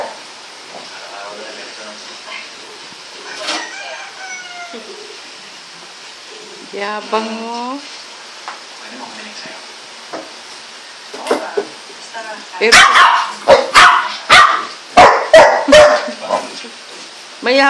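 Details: A four-month-old female Golden Retriever puppy, tied up because the other dogs get angry at her, gives high, falling whines, then a run of sharp yelps.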